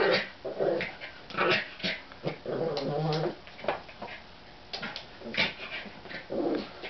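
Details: American Eskimo Dogs playing with a new toy, a brother with his baby sister; low rumbling growls in short bursts alternate with snuffling and panting, with faint human voice in the background.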